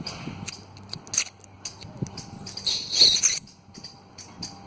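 A squirrel gives harsh, high-pitched chattering bursts, loudest near the end.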